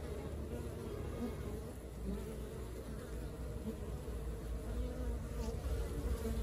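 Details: Steady droning of a honey bee colony at work, heavy in low tones, with individual bees buzzing briefly louder over the blended hum.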